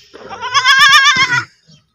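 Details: A baby goat gives one loud, quavering bleat about a second long, wavering in pitch with a tremulous vibrato, followed by a faint short sound.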